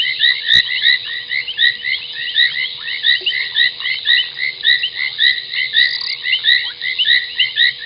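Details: Foam nest tree frogs calling at 23:46 on 30 January 2021 at Gowrie dam waterhole, Djuma Game Reserve, Sabi Sand Wildtuin, South Africa; a dense chorus of overlapping creaky, squeaky croaks, with sparse sharp clicks and a faint low hum.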